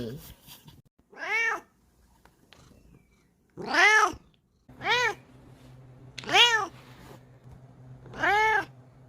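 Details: Female Bengal cat indoors, sniffing and rubbing against the camera; five loud arched meows, each rising then falling with rich harmonics, spaced about every one to two seconds over a low steady hum.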